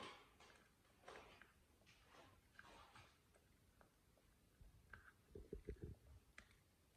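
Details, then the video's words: Simba, a British Shorthair cat, eating a chicken drumstick indoors: scattered soft rustling noises, then a quick cluster of low, crunchy chewing clicks near the end. "Simba Eats Chicken Drumstick, British Shorthair Cat"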